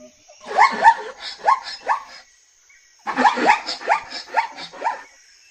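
A zebra gives two bursts of rapid, yelping barks, each note rising then dropping in a hoarse series.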